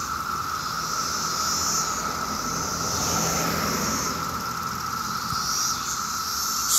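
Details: Mass emergence of 17-year cicadas on a summer day in Maryland, calling in huge numbers along the streets: a steady, unbroken droning whine holding one pitch, with fainter hissing higher tones above and a low background rumble.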